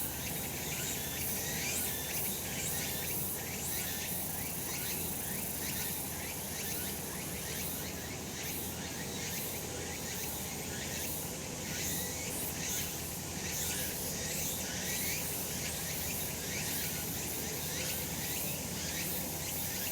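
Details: Several cicadas sing together on a sunlit summer mountainside; a bright, hissing buzz fills the air with overlapping throbbing pulses, strongest in the second half, and a faint low rumble beneath.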